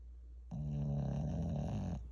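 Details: Shih Tzu asleep indoors and feeling at home, giving a single loud snore: after a half-second of near silence, a deep, rattling, buzzy drone rises and holds for about one and a half seconds, then stops abruptly.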